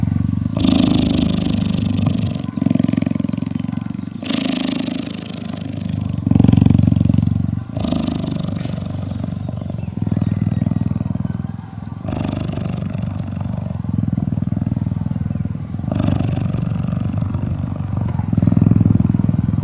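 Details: Cheetah cuddling and purring: a low, throbbing purr that rises and falls in waves every two to three seconds with breathing, accompanied by occasional soft rustles and hiss.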